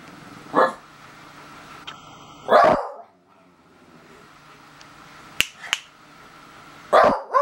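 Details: Daisy, a beagle, voicing at a stink bug: three short, loud, harsh barks spaced about two seconds apart, with faint clicks and a quiet indoor background between them.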